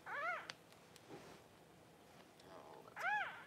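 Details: During whelping, a newborn Cavalier King Charles Spaniel pup from Paris's first litter cries indoors: one short rising-then-falling squeal at the start, a quiet pause with faint rustling, then a second, louder arched squeal at the end.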